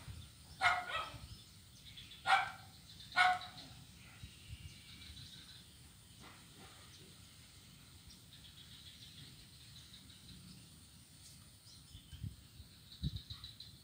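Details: Blind kitten playing on an ironwood bridge on Jalan Kolonel Sugiono, Kuala Kapuas, Central Kalimantan, recorded Monday, 25 November 2019: three short, clear meows in the first few seconds, then soft rustling and steady outdoor hiss.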